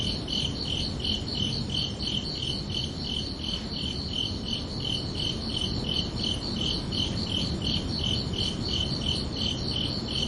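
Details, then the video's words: Crickets chirping under a peaceful night sky in summer, with rapid, evenly repeated high chirps close together, a fainter higher echoing band of pulses, and low steady background noise. "Calming Cricket Sounds for Relaxation"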